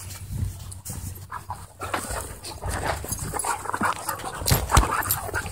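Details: Rapid panting and short growly huffs from dogs in wild play at a dog park, a steady rough rhythm with a sharper yelping squeak near the end.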